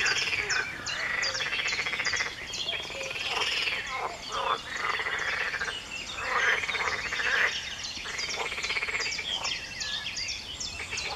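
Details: Frogs calling together at 4 a.m. on 23 June 2019 in early morning: long bursts of rapid pulsed croaking rise and fall with brief gaps, accompanied by scattered high bird chirps.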